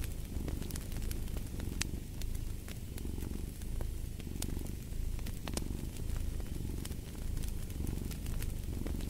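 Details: Rhythmic rumbling purr of a house cat, each inhale and exhale heard as a gentle surge in the low drone, set against crisp crackling and popping from a fire in the hearth.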